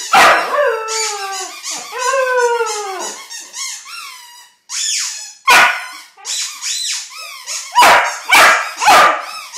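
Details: Puppy howling at a squeaky ball: drawn-out, wavering harmonic howls bending up and down in the first three seconds, then sharp yips and short barks in quick, uneven bursts.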